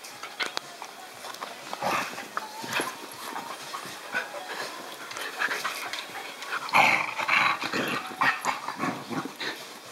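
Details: Two puppies, Riley and Red, on their first play date, with scuffling bursts, short yips and a brief high whine amid rough play, followed by a person's voice.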